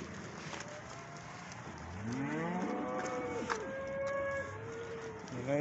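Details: Cattle calling in the morning: overlapping moos, one rising low call followed by longer wavering moos, with a constant low background hum.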